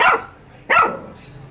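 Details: Two sharp dog barks, the second coming about 0.7 seconds after the first, each fading quickly.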